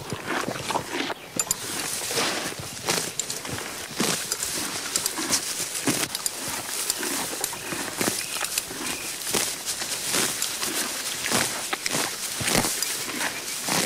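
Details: Horse grazing on grass: dense, crunchy tearing and chewing, rapid irregular crackles that continue throughout, over a faint steady high hiss.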